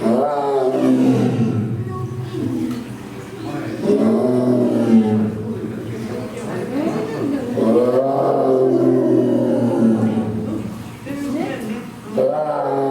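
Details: Amur tiger, also called Siberian tiger, the largest tiger subspecies, roaring: loud, deep, harmonic groaning roars that swell and fall in long drawn-out bursts, with a strong rise near four, eight and twelve seconds and a steady low rumble beneath.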